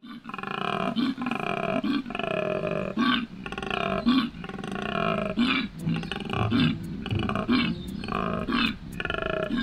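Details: In spring mating season at Healesville Sanctuary, a male koala bellows, a deep rasping series of snoring inhales and belching exhales, calling for a mate.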